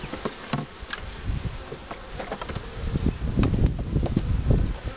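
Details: Honey bees at hives being prepared for queen rearing with the Cupularve system, including a starter colony that accepts queen cells. A low, steady hum is broken by frequent sharp clicks and knocks from handling the hive.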